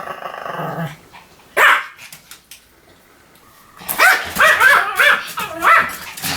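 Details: Pomeranian barking: a single sharp yap, a lull with low background noise, then a fast run of shrill barks mixed with growly tones.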